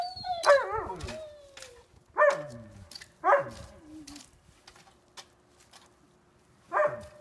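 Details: Sasha, a dog who lost her sight on April 7, 2016, at play: a long wavering yelp-bark, then spaced single barks with drooping ends, a gap, and one final bark; faint clicks between.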